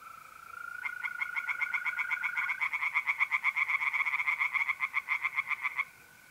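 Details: On a mid-April night at a pond in north-east Italy, a tree frog chorus builds from a mole cricket's steady trill into a loud run of quick rattling pulses lasting about five seconds, then stops.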